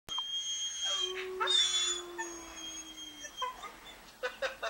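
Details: A dog, reacting to the sound of a howling dog, gives a long, steady howl that slides slowly downward, with thin high whistling tones above it.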